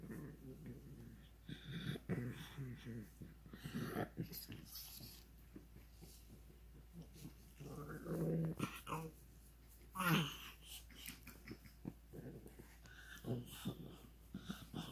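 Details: A pug making funny noises in a small room: irregular snorts, grunts and breathy growl-like sounds, with a brief louder whine near the end and faint human voice.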